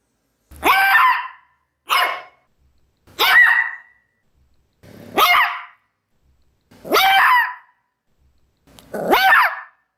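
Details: Six sharp, high barks from a Maltese dog, spaced roughly every 1.3 seconds, each a brief harmonic yap with a slightly rising start; nothing else audible.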